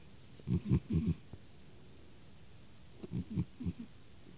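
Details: Sleeping house cat gives two short bursts of low, grunting snore pulses, each group of three or four quick throaty rasps, separated by a quiet pause.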